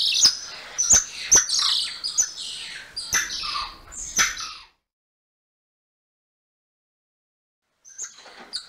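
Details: A golden lion tamarin (Leontopithecus rosalia) gives rapid, high-pitched chirps and squeaky trills, strikingly birdlike.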